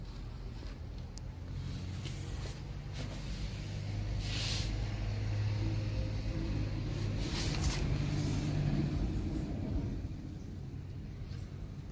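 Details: Low steady vehicle rumble outdoors that swells in the middle, with faint hiss and a thin high whine; no animal calls.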